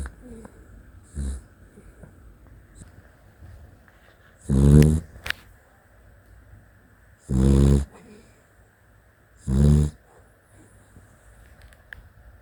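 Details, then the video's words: Sleeping Dachshund snoring: three loud, low, rasping snores spaced about two to three seconds apart, each lasting under a second, with a faint hum in the background between them. "Funny Dachshund Snoring Clip"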